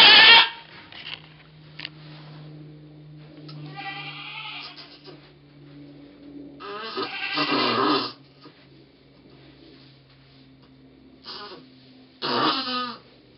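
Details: Goat in labour with twins, dated 2/11/11: a strained bleat opens, then broken, rasping bleats follow at irregular intervals over a steady low electrical hum.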